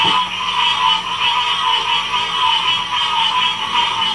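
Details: Chorusing frogs at Ocean Springs, Mississippi, in 2016. The dense calling forms a steady, wavering trill in two stacked bands, pulsing roughly once per second. A short low knock is heard at the very start.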